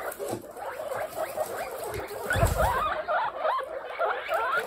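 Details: Young pet guinea pigs in a large group call with quick wavering squeaks and rising wheeks, overlapping one another, over low rustling and a brief thump of movement.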